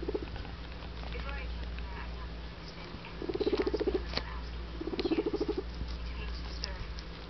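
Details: Adopted pet guinea pig Guinea Weasley making noises indoors: a short buzzy rumble, then two louder pulsed vibrating rumbles, each lasting about a second, over a constant background hiss.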